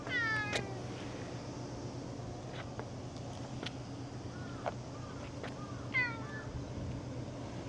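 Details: Domestic cat giving a loud harmonic meow right at the start, then a second, shorter rising-falling meow about six seconds later, over a steady low hum and faint ticking sounds.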